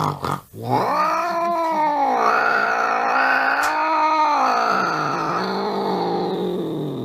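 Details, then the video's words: An angry cat, after a brief scuffling sound, launches into a sustained, moaning caterwaul lasting over six seconds that rises, wavers, then slowly falls with a rough, vibrating edge. "Angry Cats Meowing"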